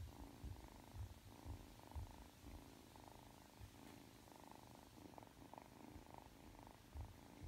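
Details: Purring Ragdoll kitten Aki, three months old, kneading before sleep; a deep, steady purr with regular pulses about twice a second, continuous and close throughout.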